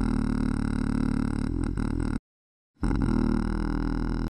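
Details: Male koala singing very low, a deep rumbling bellow with a rapid pulsing, snore-like throb, continuous for two seconds, a brief silent break, then resuming just as loud and rich in low harmonics.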